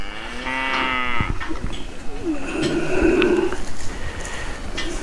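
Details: Charolais bull, lot 56 at a 2020 sale, lowing with a harmonic-rich moo near the start, followed by softer murmurs and a man's voice commenting on the animal's thickness and bone amid barn background noise.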